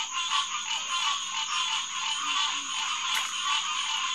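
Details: Night chorus of many green tree frogs (Hyla cinerea) at SMNWR's Headquarters Pond, June 2, 2021, about 9:10 pm. Thick, overlapping honking calls blend into a constant throbbing din, with a thin high-pitched insect drone above.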